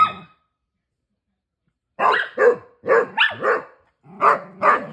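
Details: Female Basset Hound playing with her big sister and brothers: silence for two seconds, then six short, harsh, broadband barks in quick pairs over the last three seconds.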